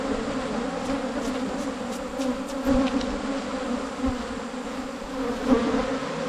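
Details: Wild Asian honey bees during a 2022 honey-hunting season in rural Thailand: a steady, droning hum with two low tonal bands holds throughout, swelling slightly near the middle, with faint clicks and rustles above.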